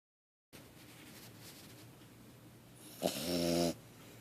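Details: A 3.5-month-old French Bulldog puppy lets out a single rough, rattly, buzzing snorting snore after a stretch of near silence, over a faint low hum.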